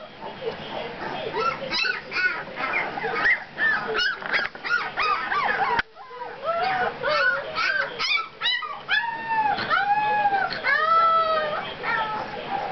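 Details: A litter of two-week-old puppies whimpering and squealing, with rapid overlapping cries that settle into a run of long, evenly spaced arched whines near the end. Faint talking sits underneath.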